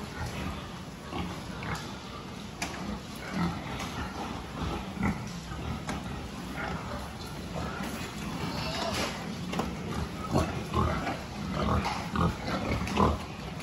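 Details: Pigs during a health check on 26 October 2023, grunting and squealing in a busy, overlapping chorus of short low bursts, with scattered sharp clicks and knocks throughout.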